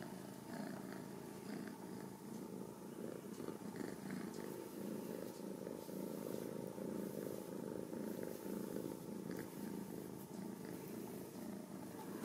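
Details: Steady, even purring from Ragdoll kittens born and raised in a home cattery in central Kansas, a continuous low throbbing rumble with light scratchy handling noises on top.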